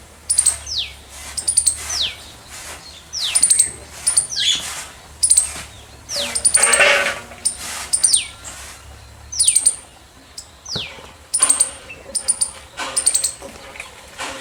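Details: Squirrel giving loud chirps: piercing high chip clusters alternating with falling squeaky slides, repeated steadily about once a second, with a brief broadband rustle midway.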